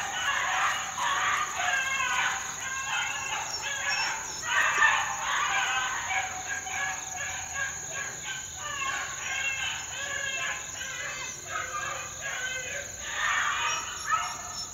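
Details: Four-month-old Beagle pups out in the wild in 2013 give a dense, overlapping chorus of ringing bays and yelps that keeps going throughout, with a thin steady high-pitched tone running under the pack's voices.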